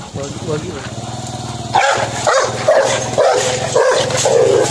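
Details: A Rottweiler in India, in a clip described as an attack on a man, barks in loud, harsh bursts about twice a second, following human speech.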